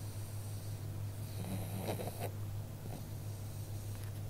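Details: A pug snoring indoors, a low, rumbling, droning breath sound that is steady and quiet, with faint snorting breaths in the middle.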